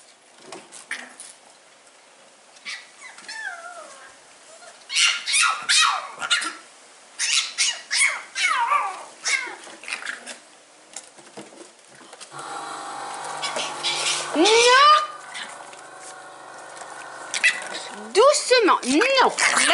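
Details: Seven-week-old Staffordshire Bull Terrier puppies, recorded 16 August 2019 indoors. Scattered short yips, then drawn-out rising and falling whines and yelps grow louder toward the end, with a person talking nearby.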